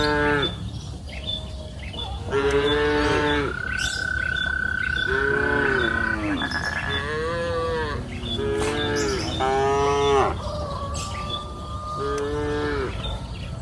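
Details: Cows on a green pasture hill moo in the afternoon, a busy run of many overlapping moos, some rising and some falling. A sustained high whistle-like tone sounds through the middle, with faint chirps.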